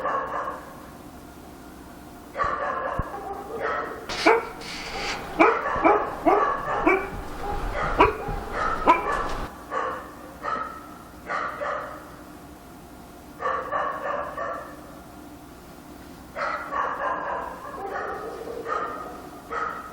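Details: Dog barking at night in Korea: dense bursts of sharp, overlapping barks, several per second in clusters, with short quiet gaps between volleys and a steady low hum underneath.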